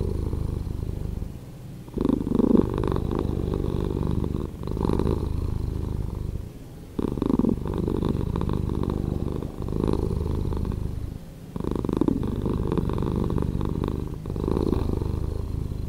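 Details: Slowed-down purring of a domestic cat: a steady low rumbling drone that swells and fades in waves, with short dips around two, seven and eleven and a half seconds, in a quiet indoor space.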